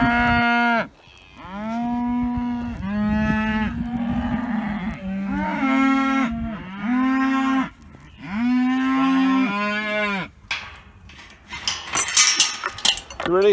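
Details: Dexter herd calling in the early morning for new grass, bored of their old grazing; a run of about eight loud, rich, wavering moos, each a second or two long and overlapping, followed by scuffling noise at the end.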